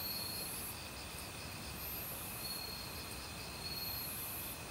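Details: In an autumn forest, crickets and assorted insects keep up a shrill, unbroken trilling with bright pulses recurring every couple of seconds, while a nearby stream gurgles steadily beneath.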